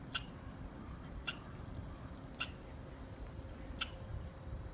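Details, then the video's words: Squirrel giving four sharp, clicky chirps at slightly uneven gaps of just over a second, with a quiet steady hum underneath. "Squirrel Chirping Sounds"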